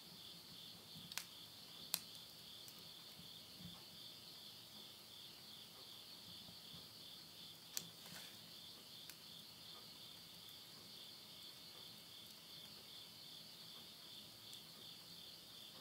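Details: Insects calling at midnight in late-summer countryside at Yurihama, Tottori, Japan, September 2020: a steady high shimmering trill holds throughout, faintly pulsing, while sharp pops of burning wood crackle now and then from a stove in a house.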